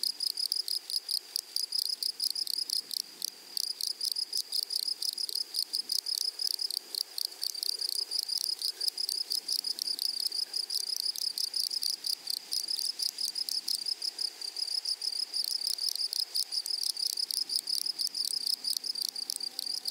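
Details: Grasshoppers in a flowery meadow chirring without pause: a dense, high, shimmering buzz made of rapid ticking pulses, broken only by tiny gaps across twenty seconds, with no other clear sounds.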